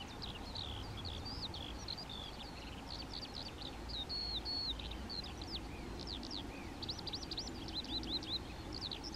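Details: Colony of European ground squirrels (Spermophilus citellus), members communicating by voice: dense series of brief, sharply rising-and-falling high whistles from several callers, overlapping throughout, with constant low background rumble.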